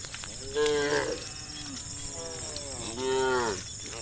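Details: Cows in a herd walking home along a dirt path to the farm pen at sundown moo in long, harmonic-rich calls, two drawn-out bellows about two seconds apart.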